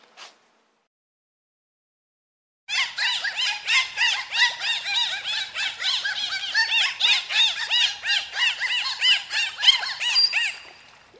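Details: Dolphin calling in a fast, steady run of squeaky chirps and rising-falling whistles, roughly three per second, after a quiet opening; dense and bright throughout.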